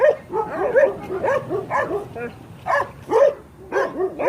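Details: Young Kangal puppies, growing and awaiting adoption, yap in a rapid series of high, arched barks, roughly two per second, with brief pauses between bursts.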